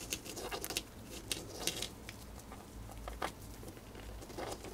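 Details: Pet female hamster gnawing on a piece of dried corn, quick dry crackling clicks and crunches in close bursts, some sharp and bright, with short quiet gaps and a faint low room hum underneath.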